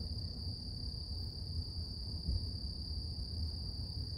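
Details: Continuous shrill insect hum from cicadas on a quiet morning, level and unvarying throughout, beneath it a dense low-frequency rumble of ambient noise.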